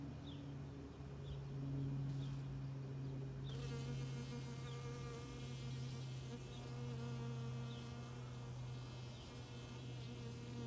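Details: A worker honey bee covered in pollen forages in a Rose of Sharon flower, giving a steady, low droning buzz that holds its pitch with only slight wavering.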